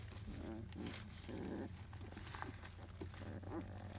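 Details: Fussy 23-day-old field-line Labrador Retriever puppies after their morning nursing let out brief moaning whimpers and squeaky yelps in irregular bursts over a steady low hum.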